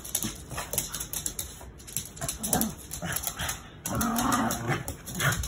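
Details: Max, a dog just over three years old, plays indoors with the other dog, Pup, after only recently learning to play. Short huffing, growly bursts follow one another, then a longer, steadier growling stretch. Light human speech is also heard.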